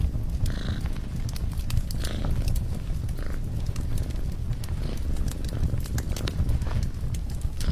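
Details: Cat purring beside a crackling fireplace: a steady, deep, pulsing rumble runs throughout, broken by frequent sharp snaps and pops of burning wood.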